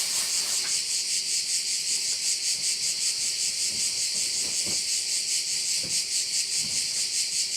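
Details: Crickets calling over one of the bays on Korčula: a dense, high, hissing chorus that pulses steadily about two and a half times per second throughout, with a faint low hum and a few soft clicks beneath.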